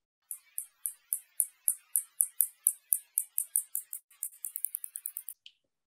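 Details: A spotted bat flying overhead echolocates at a low frequency, giving a string of high, sharp ticking clicks that speed up toward the end.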